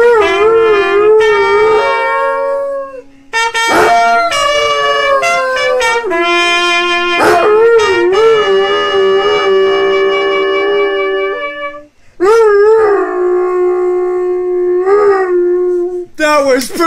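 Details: Doberman. A Doberman lets out long, quavering howls that rise and fall, joining a trumpet playing sustained notes. Brief pauses break the howling, and people speak and cheer faintly between phrases.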